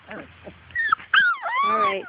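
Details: Playful Labrador Retriever puppy out in the yard, chasing its mother, lets out soft yips followed by two drawn-out, descending whines, the last long and nasal with rich overtones.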